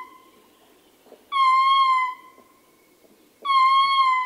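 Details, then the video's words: Two loud, even howls from a male ring-tailed lemur, recorded close, each a sustained harmonic wail under a second long, separated by a quiet pause with faint soft clicks from the troop. "Ring Tailed Lemur / MCU Howling Calls From Male. Grunts And Other Calls From Other Members Of The T"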